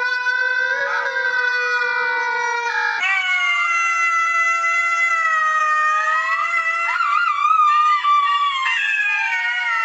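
Jackals howl together in long, wavering, overlapping wails that rise and fall without a break.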